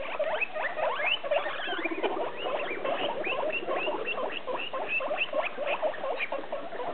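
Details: Six hungry guinea pigs in temporary holiday cages wheek together in a steady chorus of shrill, rising squeals, expecting dinner time soon.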